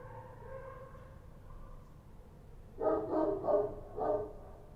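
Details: Night in Kabul with Kochi street dogs. Nearly three seconds of low background hum, then a sudden run of four loud, rough barks close together.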